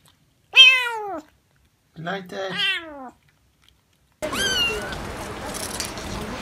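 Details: Domestic cats and kittens meowing: a clear rising-falling harmonic meow, then a shorter double meow, then a cut to another meow over a noisy indoor background.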